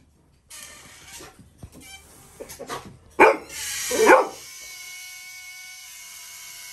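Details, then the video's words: Little John, a Labrador Retriever puppy, reacts to the sound of a balloon being blown up: two short, loud, harsh bark bursts close together after a few softer yips, with steady music playing behind. "Labrador puppy’s funny reaction on blowing sound of balloon"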